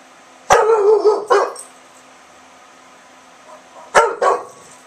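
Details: Barking back at a little dog down the street, Milton, an English Bulldog at home in Oklahoma with windows open in fine September weather, gives two paired deep barks, then a pause of over two seconds and another quick pair.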